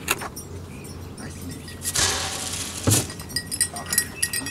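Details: Keys jangle and clink against faint background voices and traffic hum, with no animal calls.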